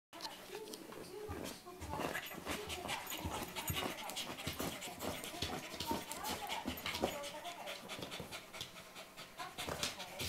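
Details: At 5:56 a.m., a corgi pants steadily with soft, brief whimpering notes, while a person speaks quietly nearby.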